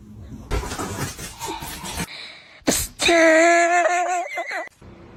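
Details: Pet cat letting out a drawn-out, harmonic yowl of nearly two seconds that wavers and breaks up at its end, following a stretch of people talking and a sharp knock.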